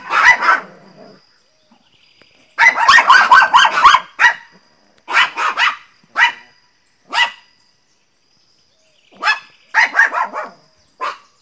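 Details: Pinscher named Teco barking loudly and angrily, sharp high barks in quick bursts and clusters separated by short silences, some single yaps, quiet indoor background.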